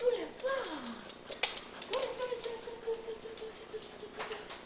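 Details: An 11-week-old male Clumber Spaniel puppy gives thin, wavering whines, one dipping then a long, level drawn-out whimper, with faint ticking clicks behind.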